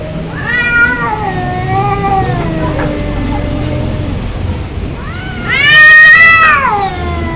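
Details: Angry domestic cats fighting: long drawn, wavering yowls sliding slowly downward, then a loud rising-and-falling scream near the end, over steady low background hum.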